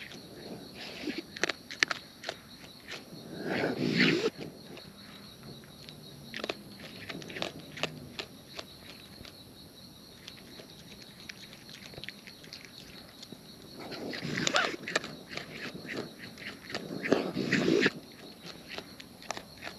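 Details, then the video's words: Wild raccoons eating close up, with irregular crisp crunching and clicking chewing sounds, rapid and uneven, swelling into louder bursts of crunching near the start and again toward the end, over a quiet outdoor background. "Wild Raccoons & ASMR Chewing Sounds"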